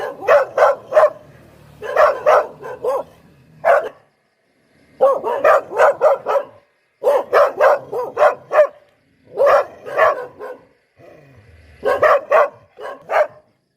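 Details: Repeated volleys of three to five sharp, mid-pitched barks from a Poodle, each volley broken by brief pauses, with a faint low hum under some passages.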